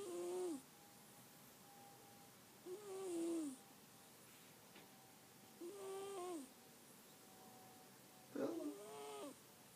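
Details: Bella, a house cat, snoring while asleep: four regular wheezy, whistle-tinged breaths about every two and a half seconds, each sagging gently in pitch, with near silence between them.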